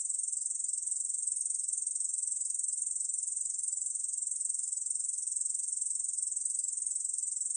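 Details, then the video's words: A Korean bush cricket keeps up a sustained, very high, pulsing buzz with no breaks; 2020 recording from the National Institute of Biological Resources. "중베짱이, 여러번 듣기, 곤충소리"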